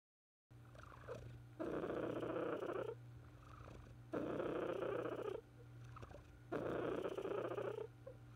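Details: Purring of Cupcake, a female pet cat, recorded during her final weeks of illness in 2018; loud rumbling purr bursts of about 1.3 seconds each, three bouts with quieter breathing gaps between, steady low hum underneath.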